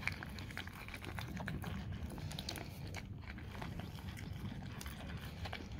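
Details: Raw cow tongue being eaten by a dog: rapid, packed wet chewing and gnawing with a low rumbling undertone and scattered crisp clicks.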